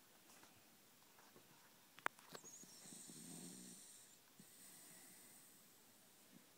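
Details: A three-and-a-half-year-old Corgi deep asleep indoors, snoring like a buzz saw: one drawn-out raspy, breathy snore swells midway through an otherwise quiet room, with a few faint clicks and rustles before it.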